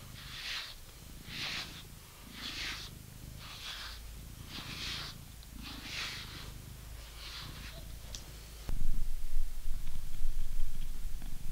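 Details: Purring British Shorthair cat during brushing; rhythmic brush swishes repeat about every second over a low continuous purr, then the brushing stops and the purr grows louder and closer for the final few seconds.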